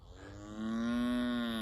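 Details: A cow begging for food gives a long, steady moo that swells after a soft start and holds a low, even pitch, with chickens heard in the background announcing egg-laying.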